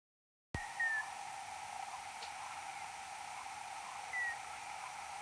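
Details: Common noctule (Nyctalus noctula) search-phase echolocation, recorded 6 July 2022 at 22:38, alternating low and high calls; two short, slightly descending tonal sweeps, a second apart and three seconds apart, over steady hiss after initial silence.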